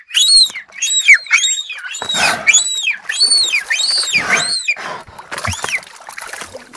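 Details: Beluga whales singing on request from people nearby: a rapid run of about ten loud, arched whistles, each rising then falling with bright overtones, in quick succession with brief gaps, ending in softer, fainter notes.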